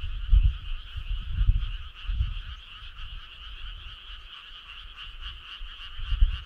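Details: Frogs calling together on a summer night along a starry country road: a dense, steady chorus of fast pulsing croaks in two pitch bands, with intermittent low rumbling thumps underneath.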